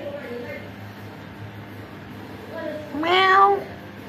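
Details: After quiet indoor murmuring, one of the visiting orange cats lets out a single rising meow that swells and then trails off, with a low hum underneath.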